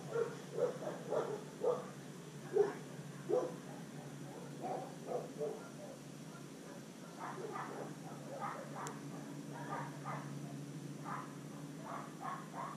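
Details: Pablo Pinto, a fearful, undersocialized rescue Rottweiler Catahoula Leopard Dog mix from Redlands, South Florida, lets out a long run of roughly a dozen barks and yips, louder at first and then softer, over a low steady hum.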